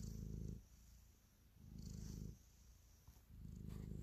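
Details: Purring cat kneading in an affectionate mood; three bursts of low rumbling purr separated by quieter inhale gaps, recorded very close with soft brushing sounds.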